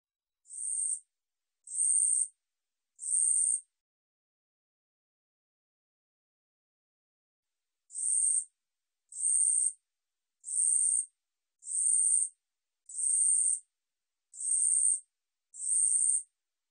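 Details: Katydid song, 우리여치, from Korea's National Institute of Biological Resources, 2020: harsh, high buzzy bursts, each under a second, three in a row, a silent gap of about four seconds, then seven more at steady intervals. No other sounds.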